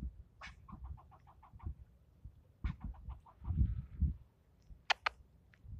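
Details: Angry squirrel repeatedly scolding someone nearby, giving quick strings of clipped barks, one sharp rasp then about eight evenly spaced chucks, then another run; thumps and a couple of sharp clicks near the end.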